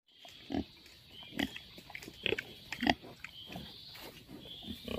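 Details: Wild boar grunting in a jungle setting: a series of short, rough grunts and snorts at irregular intervals, some louder bursts around the middle, with a steady high hiss of insects in the background.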